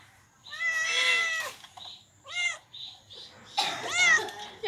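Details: Domestic cats and kittens give an arrival greeting indoors; three loud, harmonic meows, each rising then falling, come in quick succession over about four seconds, with laughter just before.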